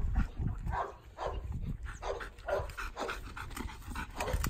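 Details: Dog panting in quick breathy bursts roughly twice a second, steady and rhythmic, from footage of two dogs trained for obedience and steadiness to gunshot; low rumbling background noise underneath.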